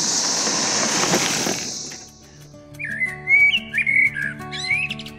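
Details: A cicada high in a tree on Missouri's KATY Trail in June gives a steady, high, hissing buzz for the first two seconds before music takes over.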